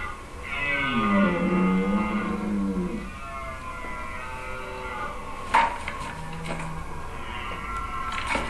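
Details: A dominant 14-point red deer stag, who has ruled his harem and rutting stand for two years, gives deep, drawn-out roars of challenge to defend his stand and his right to mate against rival males.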